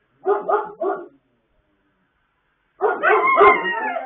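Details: Pet dogs in late-night singing, recorded 26 October 2022: three quick, throaty barks, a pause of nearly two seconds, then a louder, sustained wavering howl that begins to rise in pitch.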